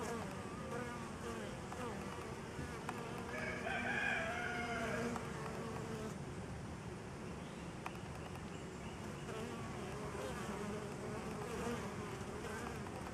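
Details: Honey bees feeding on a homemade pollen substitute, a dense steady low buzz of many wings throughout, with a brief harmonic clucking-like call near the middle, possibly a chicken.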